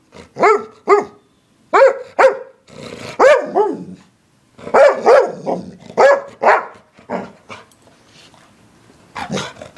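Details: Barking English Springer Spaniel: bright, harmonic barks come in pairs and clusters, some doubled rapidly, with brief silences between groups.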